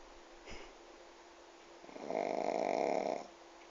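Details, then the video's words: Pug snoring while asleep sitting in a lap with its head on the table, indoors; one long raspy snore of about a second with a steady buzzing hum, after a brief snort-like sound early on, in a quiet room. "PUG snoring while sitting!"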